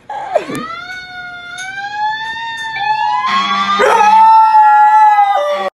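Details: Howling to fire truck sirens, a Samoyed holds a long smooth tone that slowly rises and then levels off, sustained for several seconds alongside the siren's wail, ending in a brief drop in pitch.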